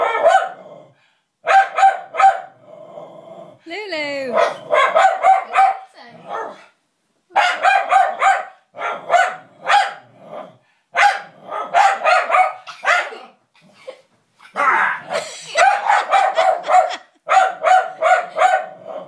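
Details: Lulu the dog, not liking a puppet, barks in rapid bursts of sharp yaps, about three per second, with pauses; a person calmly tells her to calm down and says enough.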